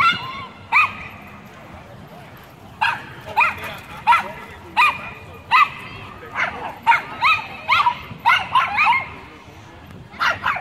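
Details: Several Chihuahuas guarding their turf against a Pit Bull and German Shepherd, giving high, sharp yaps in irregular bursts, some clustered quickly, with light background noise throughout.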